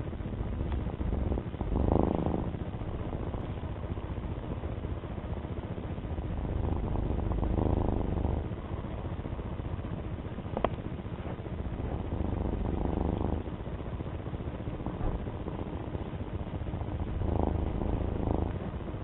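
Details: Domestic cat purring at a low, steady rumble, with recurring louder swells every few seconds and a single sharp tap partway through.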